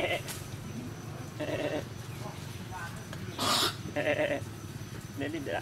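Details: Goat at a cow farm during birth of a baby goat; short bleats with high, bright harmonics come in brief bursts among people talking nearby.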